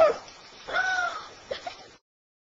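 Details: A 5-year-old female basset hound wrestling a stuffed toy puppy, filmed September 23, 2007, gives a short yelp, then a drawn-out nasal whine, ending in two quick yips, with a person laughing.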